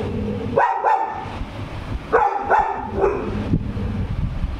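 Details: Labrador Retriever indoors, said to be reacting to a ghost, gives loud clipped barks in pairs: two early, two more after a gap, then a single bark, over a low rumbling background noise.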